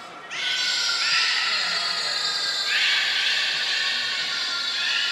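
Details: At Port of Nagoya Public Aquarium on 23 February 2023, belugas Nana, Niko and Mirai in training give one long, steady, richly harmonic squeal, stepping down in pitch near halfway and holding on to the end.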